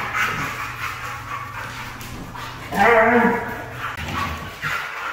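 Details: Red female Siberian Husky giving a drawn-out, harmonic, moaning vocalization about a second long midway through, with shorter whiny sounds before and after and a human voice in the background.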